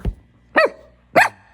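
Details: Papillon dog barking in a home: two sharp, high yelping barks about half a second apart, with a person's voice scolding "no" around them.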